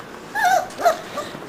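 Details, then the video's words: Puppies missing their mother give a brief pair of thin, high whimpers, each a short wavering whine that rises and falls, in an otherwise quiet indoor setting. "Puppies Yearning"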